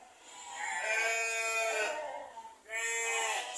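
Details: Texel F1 ram in a farm pen among ordinary sheep in Indonesia gives two quavering, nasal bleats, the first long and drawn out, the second shorter, over faint background music.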